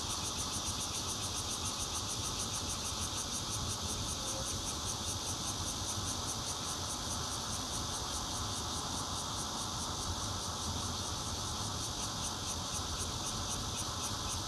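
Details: Loud continuous buzzing of a bear cicada, recorded 16 June 2013 at a fourth-floor home in Zhongli, Taiwan, on a Nokia Lumia 820; the shrill drone pulses quickly and evenly throughout, with faint low rumble underneath.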